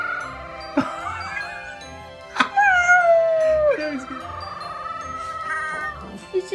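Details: A male Royal Frenchel (French Bulldog mix) puppy, about three and a half weeks old and a keen "talker", gives drawn-out, wavering howls that slide downward in pitch.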